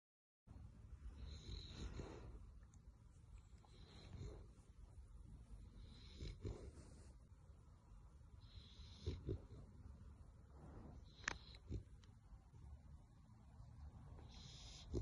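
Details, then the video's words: American Bully dog, a female, sleeping and snoring in funny poses; low rumbling snores with broad noisy breaths recurring roughly every two seconds, each swelling then fading, over a steady faint background hum. "How american bully snores funny in his sleep"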